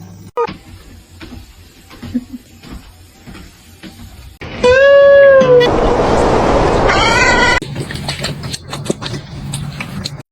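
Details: Domestic cat meowing: a long, steady, clear meow, then a rush of noise and a second, shorter meow, with human voices and background sounds before and after.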